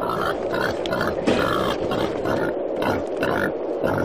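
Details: Wild boar giving short, rough grunts in quick bursts, several a second, over a steady low droning hum that runs through the whole recording.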